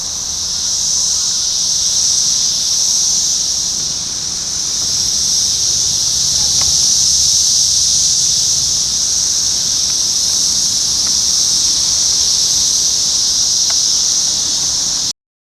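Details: Chorus of 17-year Brood X periodical cicadas, Sharonville, Ohio, June 2021: a steady shrill wall of insect sound holding at a high pitch throughout, rising slightly mid-clip, with a few faint clicks beneath before cutting off at the end.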